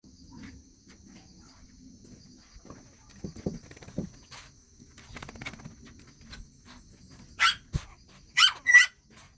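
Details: Shih Tzu dogs during daytime play and feeding give a few sharp, high barks in quick succession near the end, after quieter rustling and soft sounds from the room.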